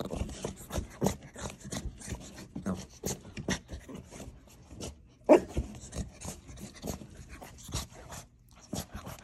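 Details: Young male blue French Bulldog puppy breathes in quick, rhythmic snuffly pants and snorts, short bursts repeating steadily, with one brief high whimper near the middle.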